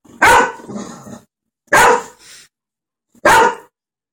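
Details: Lacy, a golden retriever, barking at dogs on TV: three loud, harsh barks about a second and a half apart, each trailing into a softer low rumble.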